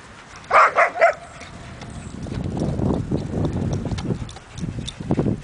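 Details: Dogs playing together in a yard, a group including a pit bull, a poodle, a lab/golden mix and an Aussie: three quick, sharp barks in a row, followed by low rumbling scuffles and play noises.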